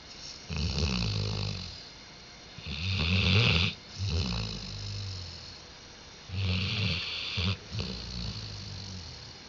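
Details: A dog named Diesel sleeping and snoring, recorded 5 October 2011; about four raspy, rumbling snores, each lasting around a second, separated by quiet pauses of a second or two, with a breathy hiss in each.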